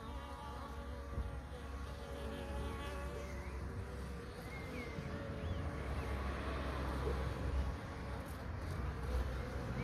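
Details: Steady droning hum of bees, rich in stacked harmonic tones, swelling slightly toward the end, with a few faint bird-like chirps overhead.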